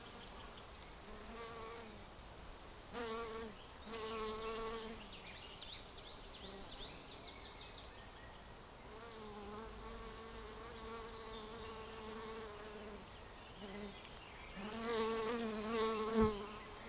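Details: A cockchafer's low, droning wing buzz rises and falls in pitch as it flies close by among flowering wild rose.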